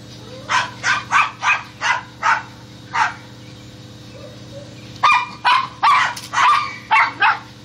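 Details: Hunting squirrels, dogs let out a quick, evenly spaced run of about eight barks, fall silent briefly, then break into another burst of loud, rough barks.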